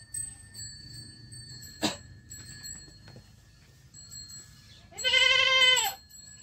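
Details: Goat kid giving one loud, wavering, nasal bleat about a second long near the end, after a quiet stretch with a steady electrical whine and a single sharp knock.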